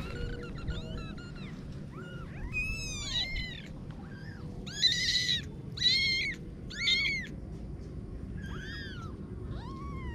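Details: Several kittens give thin, arching mews about once a second, some louder bursts in the middle, over a constant low rumble of background noise.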